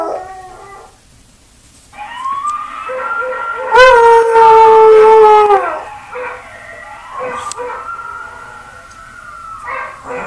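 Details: Buster the dog howls at himself again: quieter wavering howl notes lead into a loud, steady, harmonic-rich howl held for about two seconds, followed by a softer drawn-out howl that fades near the end.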